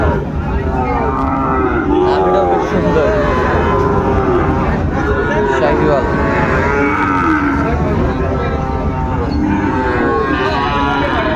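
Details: Sahiwal bull calves at Raniganj cattle market in Dinajpur, 16 September 2024, a Monday: deep harmonic moos rise and fall repeatedly beneath constant crowd chatter and bargaining voices.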